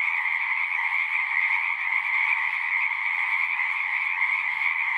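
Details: Chorus of frogs at a pond on pastureland, Zoom recording; a thick, ringing blend of many trilling voices, steady and unbroken throughout the short stretch.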